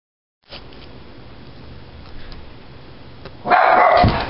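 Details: Loud dog bark that frightens an old English springer spaniel: a few seconds of quiet hiss, then one sudden, loud, harsh bark lasting nearly a second.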